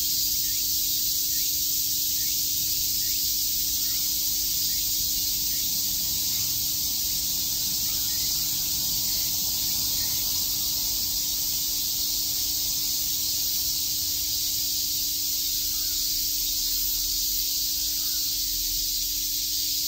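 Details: Summer cicada chorus in Tokyo's Shakujii Park: a constant, intense high buzzing sheet of sound sustained for the whole stretch, with a faint hum beneath and slight low rumbling near the end.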